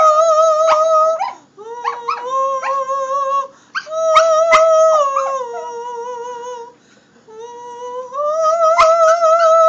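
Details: A young Shetland Sheepdog puppy howls along to Amazing Grace in long, wavering, high-pitched notes as a pet trick.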